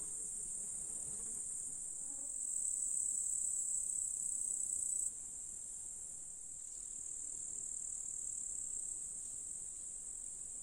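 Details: A July chorus of grasshoppers in a Russian countryside meadow near a lake: a continuous shrill, sizzling buzz that grows louder for a few seconds, drops suddenly halfway through, then steadies again.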